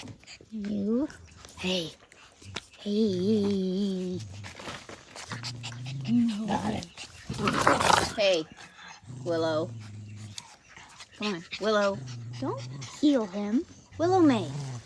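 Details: Australian Cattle Dog puppies at play growl and yap in a busy run of wavering, bending yelps and throaty rumbles, several overlapping, indoors with scuffling in between.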